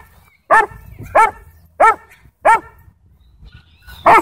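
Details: A sheriff's K-9 Belgian Malinois at a dog park in a Texas county, trying to attack, gives five loud, sharp barks spaced roughly half a second to a second apart, each harsh and clipped, with quiet pauses between.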